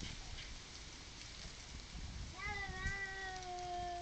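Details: Neighbours' domestic cat squaring up to another in a garden before a fight; after two seconds of steady background hiss, a long, low, harmonic yowl begins, wavering slightly and holding steady to the end.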